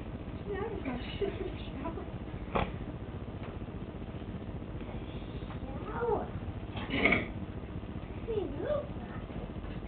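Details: Four-month-old Bengal kitten exploring a sink indoors, giving a few short, thin meows that bend up and down in pitch, spaced several seconds apart over a steady low hum, with human voices talking between the calls.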